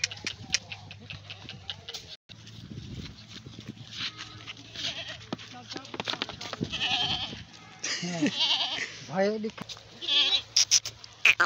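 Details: Goat in water: several quavering bleats near the end, wavering and rising, between splashing and human voices.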